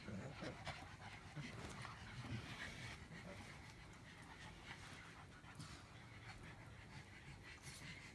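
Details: A pug grumbling: a low, rough, snuffly rumble that runs almost without a break, with quick breathy pulses under soft background hiss.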